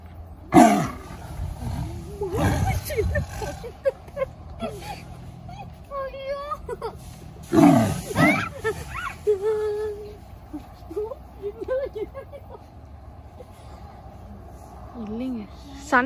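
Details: White and yellow tigers at play in a zoo in 2019 give rough, growling roars in short bursts, with people's voices in the background.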